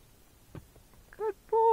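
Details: A Tennessee Walking Horse gelding, out on a trail ride with his rider, gives a loud, tonal neigh that starts abruptly and holds a steady pitch.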